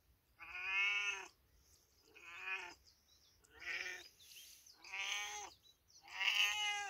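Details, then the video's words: Cat in village life giving five long, harmonic meows of about a second each, evenly spaced through the recording, with quiet gaps between them and no other clear sounds. "Big Cat Meowing || Cats Meowing || A Beautifull Cat Meowing In Village Life"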